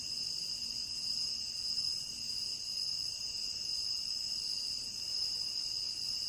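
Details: Crickets in a tropical rainforest keep up a steady, high-pitched, ringing chorus without a break.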